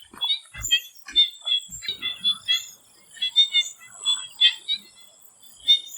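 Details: Frogs in a swamp in Thailand before sunset give rattling, knocking croaks in quick clusters, pausing briefly midway before resuming, over a thin high-pitched insect drone.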